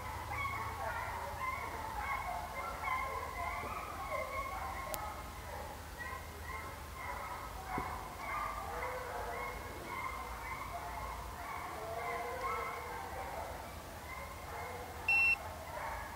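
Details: Pack of hounds from HomeGrown Kennels running deer on a South Carolina hunt near St Helena; sustained, overlapping bawls and howls carry from a distance, with a short electronic beep near the end.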